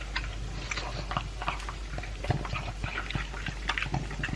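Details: Elvis the Pug, two years old, munches dry food with a chunk of beef inside a room. Rapid crunchy chews and sticky mouth smacks repeat several times a second.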